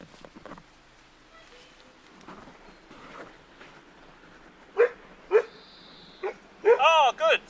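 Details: Seven Labrador Retriever puppies at 40 days old. A few short high yelps are followed by a burst of rapid, rising-and-falling squealing yips near the end, with soft human talk and coaxing before them.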